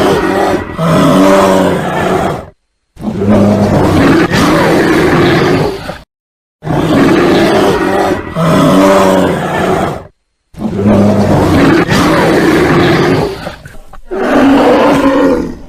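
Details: Bear roaring in long, raspy, throaty bursts of two to four seconds, separated by abrupt brief silences, loud and steady throughout, with nothing else audible.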